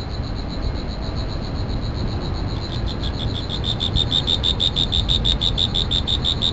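An insect gives a steady, high, ringing trill that breaks into rapid pulses, over a low rumble.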